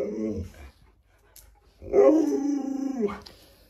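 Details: Alaskan Malamute Luoluo, at home with its owner sick in bed, gives a short soft grumble, falls silent, then lets out a rougher, wavering one-second howl-moan, indoors in a small room.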